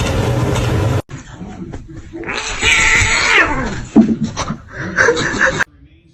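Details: Cat from a compilation of cute kittens: a long, drawn-out wavering meow that swells and then falls, followed by a few shorter cries. A person's voice and a sharp thump come before it.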